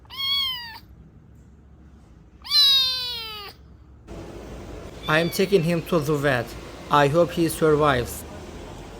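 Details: Abandoned stray kitten, left two days in -11°C snow without food or shelter and then rescued, gives two clear, drawn-out meows that rise then fall, followed by a stretch of human talking.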